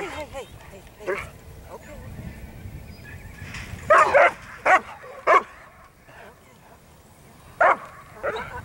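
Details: Whippet at Canadian Amateur Racing Association racing: a quick burst of three sharp barks, then a lone bark and another a few seconds later, with people talking throughout.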